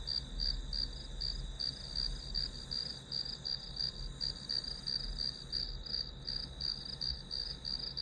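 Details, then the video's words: Grass insects calling in a one-hour study-with-me recording: a steady high chirping band with pulses repeating almost three times a second, over a continuous low hum. "풀벌레 소리"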